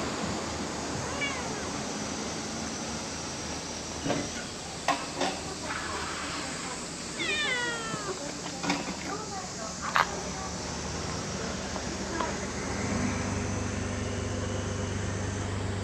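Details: Playful cats gathered around a waiting room, romping together; a short harmonic meow bends downward near the middle, with a fainter earlier mew and scattered clicks and knocks over steady low background hum and noise.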